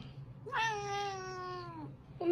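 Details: An angry domestic cat gives one long drawn-out meow of about a second and a half. The tone is steady with rich harmonics and sinks slightly at the end. A faint low hum sits underneath.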